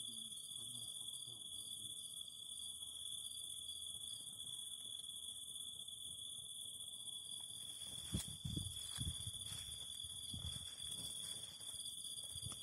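Cicadas sing a steady, shrill, unbroken buzz over the soft crackle of a fire.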